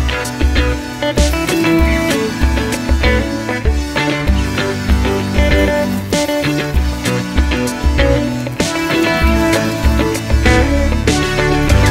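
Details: Upbeat guitar music with a steady bass beat plays throughout a beach outing on a hot summer day, with no animal sounds.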